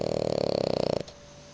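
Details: Sleeping on a sofa next to Miko and a person, French Bulldog Matsuri gives one rough, rapidly vibrating snore about a second long, which breaks off into quiet indoor room tone.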